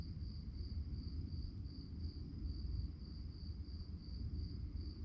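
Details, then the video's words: Crickets chirping at night: a steady train of high, evenly pulsed chirps running without pause over a deep, constant low rumble. "relaxing sounds of crickets"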